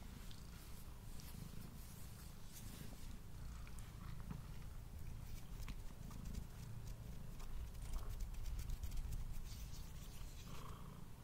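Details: Domestic cat, male, purring as he eats, recorded on a Blue Yeti mic: a soft, even low drone underlies rapid, irregular ticking chews and lip smacks spread across the whole stretch.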